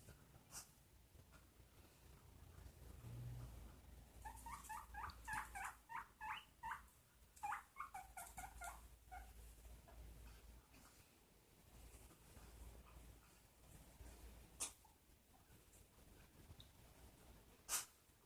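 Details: Pet guinea pig making noises indoors: a burst of short, stacked squeaky notes repeated rapidly for about five seconds in the middle, with quieter stretches, faint clicks and soft background hum around it.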